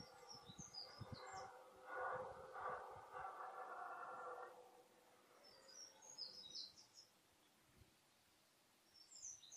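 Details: During the 2014 rut, a red deer stag gives a single long, hoarse, moaning roar lasting over two seconds. Quieter rustling follows, and small birds chirp thinly in the background.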